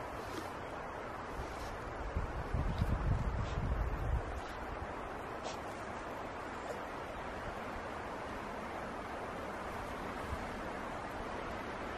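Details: Steady wind noise buffets the microphone throughout, with a louder gust around the third and fourth seconds and faint rustling.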